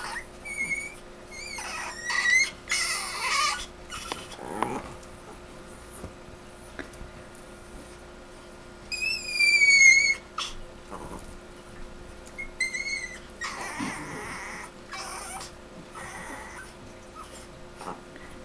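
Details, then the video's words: Recorded September 10, 2007: Chino the Chihuahua gives scattered short, piercing squeals, then a louder wavering screech midway and a few more brief squeaks, with quiet pauses and soft rustling between. "Chino screeching"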